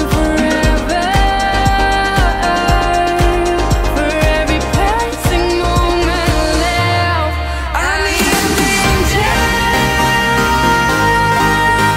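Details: Upbeat pop music with synth melodies, a sweeping transition and steady beat, and no animal sound.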